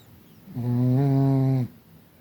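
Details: Kira, a Chihuahua living in Tver and raised at Crimea's Kastropulo kennel, gives a single sustained, nasal, droning snore of about a second with a rich stack of overtones, framed by soft breathing noise.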